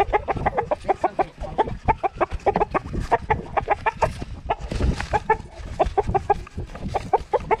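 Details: Female Pixie Pig Bacon May, two years old, grunts continuously while carrying a GoPro. Quick, repeated short grunts run throughout, with rustling and handling noise in between.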